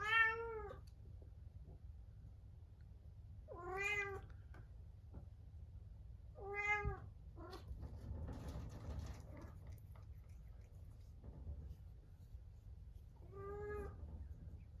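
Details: Male Munchkin cat isolated in another room at dinnertime ahead of neutering surgery, crying plaintively: four harmonic meows spread over the clip, some short and some longer, with a soft rustle or knock midway and low background hum.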